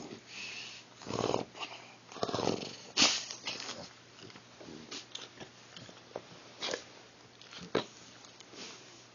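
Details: Cheyenne, an elderly female Shar Pei, wakes indoors by the door as her owner comes home. She makes short breathy grunting and whining bursts, several across nine seconds, with quiet room background.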